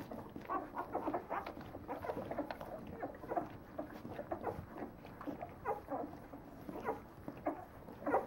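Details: Nine-day-old Leonberger puppies squeak and whine together, short overlapping cries of several pups, a continuous soft chorus of mewing whimpers.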